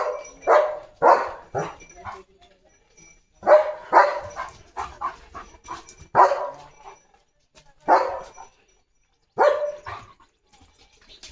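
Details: German Shepherd Leo, a pet dog in a home courtyard, limping after something hurt his paw, gives bursts of short, sharp barking yelps, roughly one per second with brief pauses, while people talk nearby.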